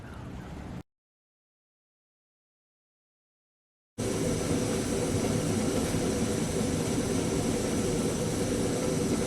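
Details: A brief burst of broadband noise, a few seconds of silence, then steady low engine-like rumble with no animal calls.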